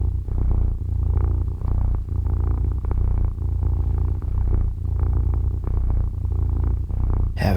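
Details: A house cat snuggling with its owner at waking time, purring continuously: a low, throbbing rumble rising and falling in regular breathing cycles, loud and close, with soft rustling.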